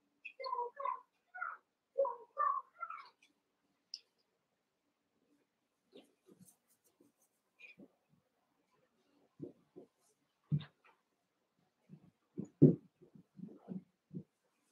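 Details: Eight Cavalier King Charles Spaniel puppies, about one month old, wrestling and playing together in an indoor pen; a run of high whining yips in the first three seconds, then scattered short low growly grunts and squeaks.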